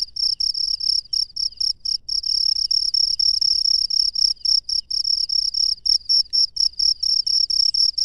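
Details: Night-time cricket in the wild: insistent, high, buzzy chirps in fast even bursts, occasionally blurring into longer trills, with nothing else audible.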